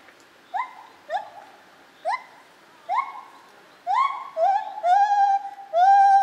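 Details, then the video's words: Lar gibbon recorded at Zoo Opole, 2015, giving an accelerating series of short upswept hoots that grow louder and longer, ending in sustained, ringing notes. "Lar Gibbon - Gibon Białoręki"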